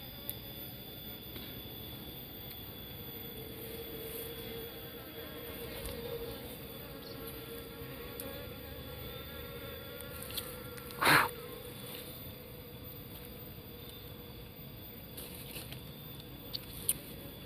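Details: Bees in a nest inside a narrow hole in an Albasia tree, disturbed as the hole is widened by hand to reach the honey; a steady, low droning hum with overtones throughout, a sharp knock near eleven seconds, faint scattered taps.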